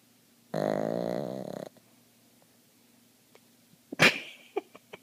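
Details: Dreaming pug McLovin' lets out one buzzy, rumbling snore lasting about a second, followed after a silence by a sharp snort-like puff of air from his jowls and a few small clicks.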